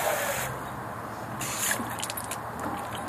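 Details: Broad hiss of a watering hose spraying outdoors over a faint traffic background, with brief splashes; no barking or other animal sound.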